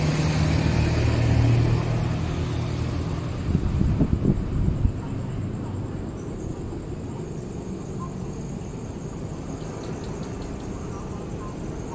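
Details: Heavy vehicle rumble and road noise fill a street in Bangkok, Thailand, with brief faint voices.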